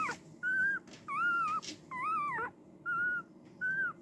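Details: Five steady, clear whines from a female Cardigan Welsh Corgi puppy born March 18, each about half a second, slightly arched and even in pitch, spaced by short silences.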